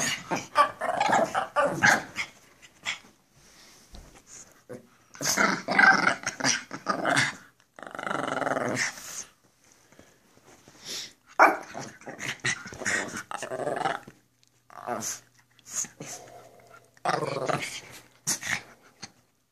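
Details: Playful growling and snarling from two Pekapoms, female Stella and male Moose, goofing around indoors in a small room; long rough grumbling stretches broken by yips and barks, almost continuous throughout.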